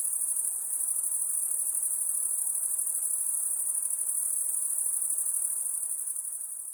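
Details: Crickets calling at night in a piercing, fast-pulsed trill that stays even for most of the clip, then fades slightly in the last second.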